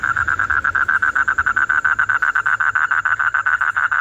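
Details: Frog singing a fast, even pulsed trill of about eight beats per second at one steady mid pitch, continuing without a break, with a faint high steady tone in the background.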